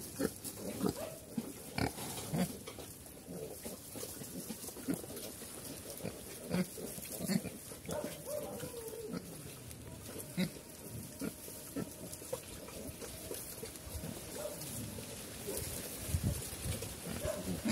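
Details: Pigs on a farm in Cambodia, locally called Chrouk Kandorl, running around. Low, rough grunts and snorts repeat irregularly throughout, with a few longer nasal squeals, over steady background hiss.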